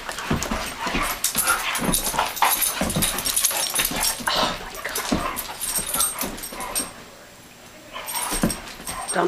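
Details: Play fight between two rescued Doberman Pinschers, aged two and nine, letting off steam on an indoor carpet; rapid yips, grunts and scuffles come about once a second, with a brief quiet spell near the end.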